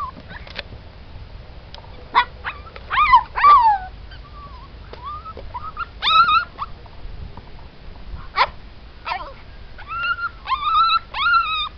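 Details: Siberian Husky puppies in a litter; high-pitched whining and squealing, short wavering cries repeated irregularly, a few sharp yips, several pups calling over each other above faint low background rumble.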